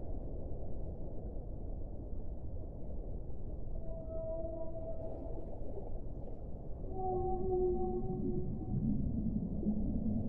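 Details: Whale song: after a few seconds of low rumbling, a pair of long, steady tonal moans with faint overtones, then a lower, wavering moan that trails into a deep rushing background.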